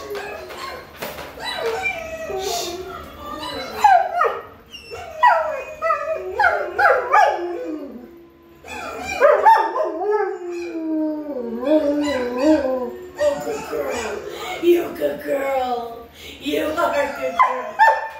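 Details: A dog kept in her kennel at mealtime responds to howling test sounds with a mix of short yips, bark-like notes and wavering howls, the sounds rising and falling in quick succession throughout.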